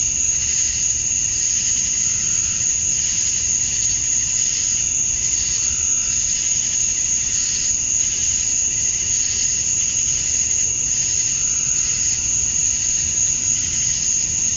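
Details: Georgia, USA, summer dusk: male cicadas sing to draw females, making a constant shrill drone whose upper band pulses in slow waves about every second or two, over a faint background hum.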